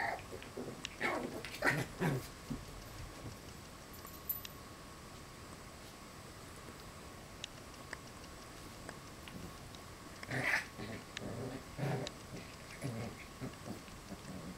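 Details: West Highland White Terrier puppies wrestling and playing with their parents: short whimpering and growling yelps in a cluster during the first two seconds, then more at about ten to thirteen seconds, with long quiet gaps between.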